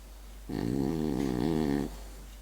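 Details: Single French bulldog snoring in its sleep: one steady, vibrating, rattly breath lasting roughly a second and a half, with faint room hiss before and after.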